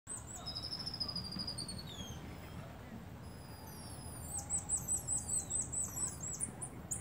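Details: Several small common marmosets communicating, giving long high whistles that fall in pitch, then a quick run of sharp repeated chirps near the end over a low steady background rumble.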